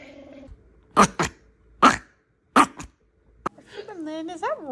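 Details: Pet Chihuahua indoors in a small room giving three sharp, short barks about a second apart, followed by a rising and falling whining cry, with a person speaking in the background.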